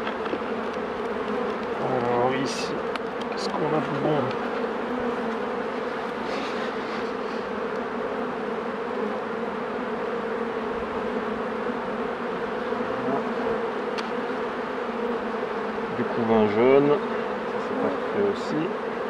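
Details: Continuous low droning of honey bees at hives during a beekeeper's work, an even hum holding steady for the whole stretch, broken by brief bits of French speech early on and near the end.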